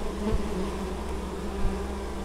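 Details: A dense, even drone of many honey bees carrying honeydew at an apiary in Moszczanka, Opole Voivodeship, Poland, on 19 August 2013, with two brief low thumps.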